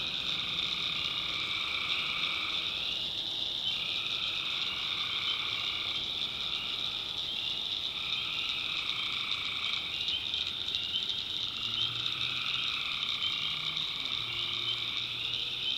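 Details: Swamp at night in the backwoods of North Carolina, with tree frogs calling: a thick, sustained chorus of rapid high trills, and lower trilling voices rising and falling in waves every few seconds.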